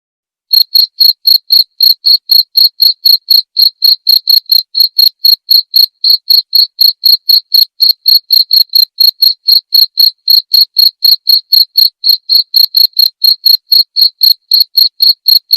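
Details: Cricket giving a long, steady run of shrill chirps, recorded as nightly tutoring material for white-rumped shamas; pulses come about four per second after a short pause and stay even throughout, with no background noise.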